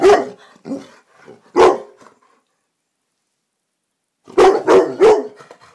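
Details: Rossi, a black Labrador Retriever, barking at a silk orchid in the living room one evening: sharp, loud barks, a few scattered at the start, then a quick burst of three after a silent pause, in an indoor room.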